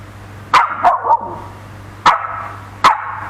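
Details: Dogs fighting at a house in Ram Inthra, Bangkok, Thailand: a 4-5-month-old Samoyed puppy harassing a Corgi, four other dogs joining in; sharp barks in a quick group of three, then two more spaced barks, over a steady low hum.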